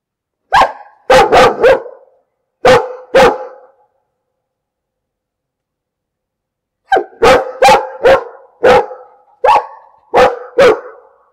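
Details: Loud, rapid dog barks: a run of five in quick succession, a silence of about three seconds, then a fast string of about seven forceful barks.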